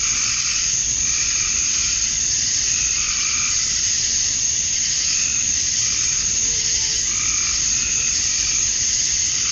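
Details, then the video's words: On a summer night at dusk in Georgia, USA, male cicadas chirp to attract females: a relentless high hiss with periodic pulsing calls lower down, steady throughout. "Cicadas at Dusk, Summer Night"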